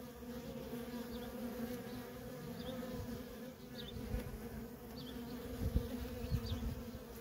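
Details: Feral honey bee colony with worker bees in nonstop traffic: a dense, steady buzzing hum, occasional low bumps, and faint high chirps at regular intervals.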